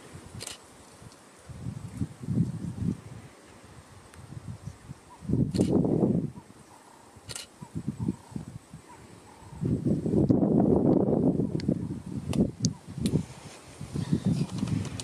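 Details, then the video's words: Lion father at Karongwe Game Reserve growls warnings at his cub tugging his black mane, growing angry; two loud, deep, rasping growl surges several seconds apart between softer grumbles, over rustling and faint wind. "Lion cub annoys dad and gets in trouble!"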